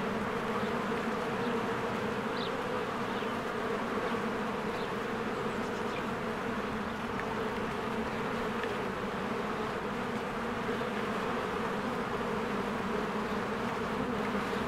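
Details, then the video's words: Swarms of honeybees fly in and out of their hive in spring. A dense, steady droning buzz with a low layered hum fills the whole stretch, and a few faint high chirps rise above it. "1 Hour of a Beehive ASMR"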